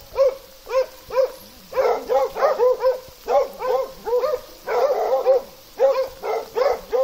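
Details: Plott hound and American foxhound calling in Russia: steady chains of resonant, upward-then-falling barks, crowding into a dense overlapping chorus around the middle before thinning again.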